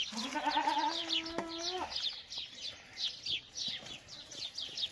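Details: Boer goat giving one long, wavering bleat that lasts almost two seconds and holds a steady pitch, then falls silent. A dense chorus of small birds keeps up high, rapid chirping throughout.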